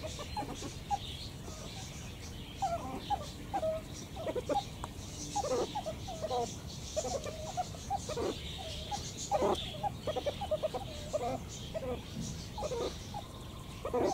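Meerkats give short, clucking chirps and peeps in quick, uneven bursts over a steady background hiss.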